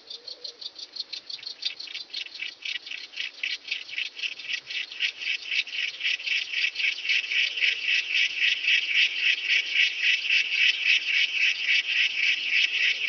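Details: Long-horned Club Grasshopper recorded at Nesvady, Slovakia, on 23 July 2023: a rasping stridulation of evenly spaced short pulses, roughly four per second, swelling steadily louder through the series against a quiet background.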